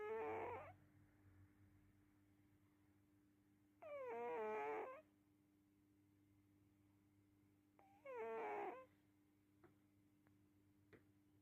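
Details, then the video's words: Asleep, a cat gives three nasal, whimpering snores, each about a second long and spaced some four seconds apart, with faint clicks and a constant low hum between breaths. "グーグーにゃんこ いびき編"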